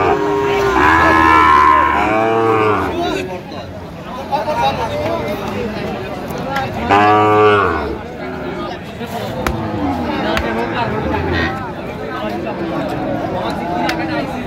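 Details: Two drawn-out moos from Sahiwal bull calves at a Rangpur, Bangladesh cattle market on 5 December 2025, the first long and wavering, the second about five seconds later, amid continuous crowd chatter and men haggling.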